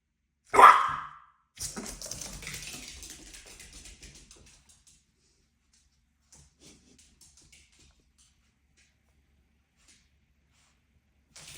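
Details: A pet puppy at play indoors gives one short, sharp bark near the start, followed by a few seconds of soft rustling and shuffling, then near-silence in a small room.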